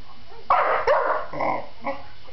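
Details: Roxie, a pet dog that barks at nothing, lets out two quick sharp barks followed by a softer trailing bark in a quiet room.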